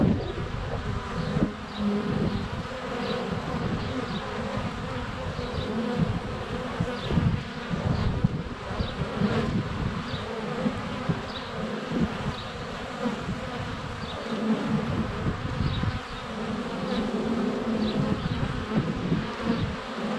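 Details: Many honey bees flying at the hive entrance on a sunny February day, recorded by a GoPro Hero 7 Black; a constant low buzzing drone, uneven thumps from bees landing on the camera, faint chirps of birdsong above.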